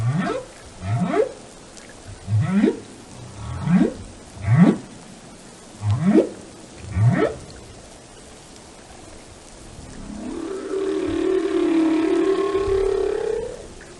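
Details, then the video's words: Whale singing in a run of six quick rising whoops, evenly spaced, followed by a long wavering tonal moan with rich overtones, all over a soft watery background hiss. "the sound of a whale"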